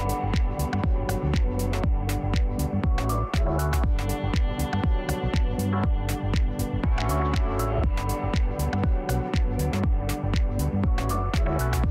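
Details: Electronic dance music with a steady pounding beat around two per second, layered synth chords and bright percussion throughout, with no animal voice audible.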